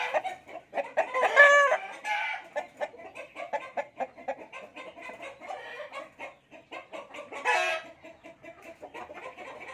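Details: Fighting cocks offered for sale cluck in a steady stream of short, dry notes. Two louder, rasping bursts stand out, one near the start and one toward the end.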